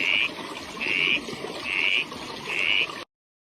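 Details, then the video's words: A frog giving short, raspy calls, four bursts within about three seconds at a steady rhythm, over a noisy, hissing background. "A Frog"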